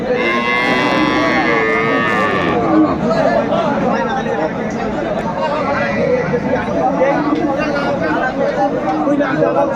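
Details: Cattle at Aftabganj haat, a cattle market in Dinajpur selling cows and calves: a long, loud, harmonic-rich moo in the first two seconds, then crowd chatter and bargaining voices from the busy market.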